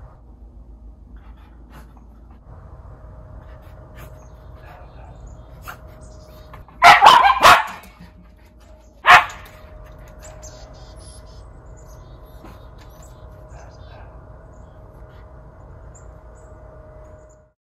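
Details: Miniature Schnauzer brothers Lucky and Levi, white, in Aroostook County, Maine, running from deck to deck upstairs for the best view on Oct 11, 2021: a quick burst of three sharp barks, then one more bark two seconds later, over a steady low hum.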